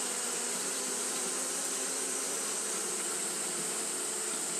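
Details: Colony of Japanese honey bees fanning continuously in hot weather: constant broadband whirring of countless wings, even in loudness, a high airy hiss over a soft low drone.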